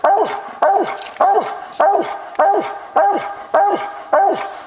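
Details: Copper, a walker coonhound coon hunting, barks steadily at a tree, about one sharp, falling, ringing bark every 0.6 seconds, eight in a row with nothing else heard; the recording is old and of low quality.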